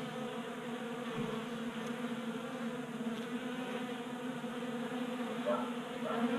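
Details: Honey bees feeding at a 3D printed table-top feeder in a garage in Colorado during a warm January spell; a steady layered buzzing drone of many wings with strong low hum bands, continuous throughout.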